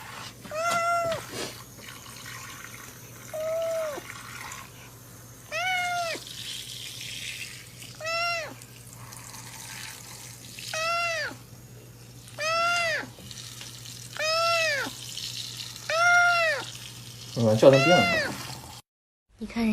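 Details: Domestic cat meowing repeatedly, clear arched meows about every two seconds, around nine in all, over a steady low hum, with a brief scuffle near the end.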